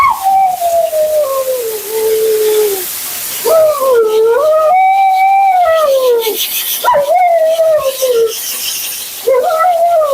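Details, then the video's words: Dramatic Siberian Husky Mila, during bath and blowout at her second groom, lets out long sustained howling moans that rise, hold and sag downward, four drawn-out phrases with brief gaps, over a continuous hiss of grooming equipment. "Talking Husky FURNADO Bath and Blowout"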